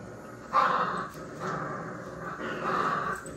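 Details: Play-fighting puppies. Three loud, rough, throaty growls rise and fall, with a short gap between each burst and a faint room background.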